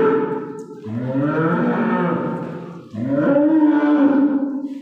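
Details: Young calf crying on the eve of Eid: two long, plaintive moos, the first low and rough, the second higher and rising into a steady tone.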